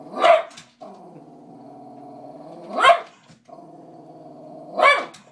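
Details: Pet Cavalier King Charles Spaniel objecting to cats: three loud sharp barks about every two to three seconds, joined by sustained low buzzing growls between them.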